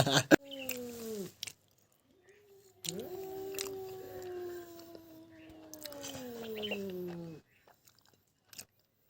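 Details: Loud meows during a fight between a stray cat and a pet cat: a short falling yowl, then a long sustained yowl that slowly sinks in pitch before stopping.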